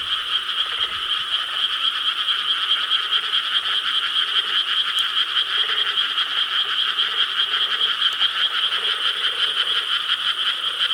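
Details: Korean rice-paddy frog chorus on the night of 4 July 2013: many overlapping croaks forming a loud, rhythmically pulsing drone of fast, rattling beats throughout.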